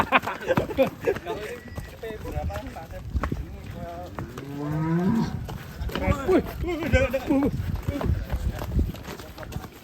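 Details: Huge black Belgian Blue bull led out of its pen, with one drawn-out low moo rising slightly in pitch, lasting about a second, under loud overlapping human speech and shuffling.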